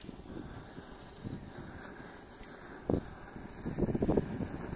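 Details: Outdoor rumble of passing traffic with scattered low thumps and a brief louder knock, and no animal voice heard.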